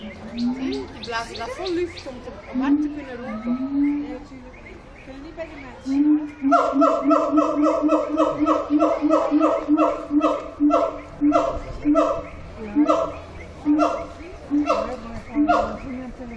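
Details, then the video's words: Siamang singing at Zoo Antwerpen: irregular swooping, gargled notes at first, then from about six seconds a steady run of loud, harmonic barking hoots repeated roughly twice a second, each note sharply stacked and ringing. "Siamang - Symphalangus syndactylus Singing"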